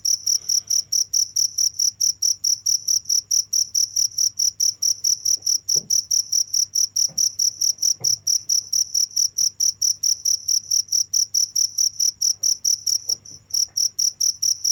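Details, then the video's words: Cricket sound running nonstop, rapid regular high-pitched chirps a little over two per second with an overtone above, a few faint low knocks and a steady background hum. "without stopping the sound of crickets for 15 minutes"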